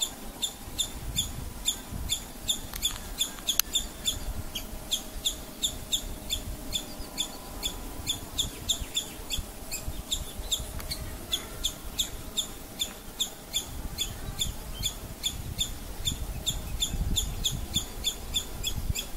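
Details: Squirrel. A squirrel repeats a rapid train of sharp, high-pitched chips, several each second, keeping up the rhythm without pause. This is her alarm call against a low background rumble.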